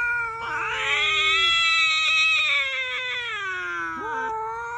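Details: Domestic cat holding one long caterwauling meow of nearly four seconds. It starts low, swoops up into a bright, strained wail that slowly sags, then ends with a short rising note.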